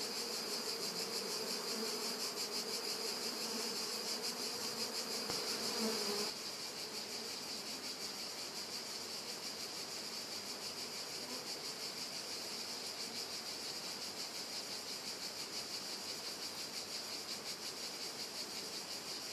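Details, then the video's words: Bees drinking in summer, August 2013, in Italy: a dense, steady high buzzing hum fills the whole recording, slightly louder in the first six seconds, with no other clear sounds. "Api che bevano"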